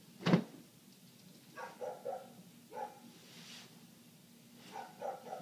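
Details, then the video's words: A neighbour's dog barking nonstop, heard from indoors through closed windows: muffled, mid-pitched barks in short clusters of two or three, with a sharp household thump at the start and soft indoor rustling. "Dog Barking"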